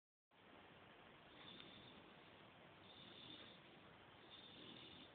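An English Bulldog snores in a steady, wheezy rasp that swells with each slow breath.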